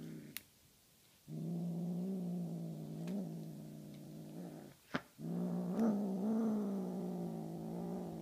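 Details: Honey Butter, a Tonkinese cat, growls over her feather toy prey. A sharp tap comes first, then a long, even, buzzy growl of several seconds. A thump interrupts it before a second sustained rumble resumes to the end.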